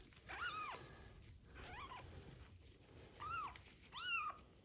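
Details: Abandoned kitten with ringworm, found in a box on the street, meowing during its first medicated bath; four arched, harmonic-rich meows with quiet gaps and a faint room hum behind.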